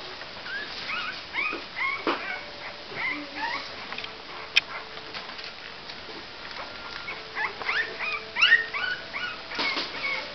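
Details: Several Cavalier King Charles Spaniel puppies aged 28 days squeak and whimper continuously, short bent high notes from overlapping pups, a single sharp click midway and brief louder yelps near the end.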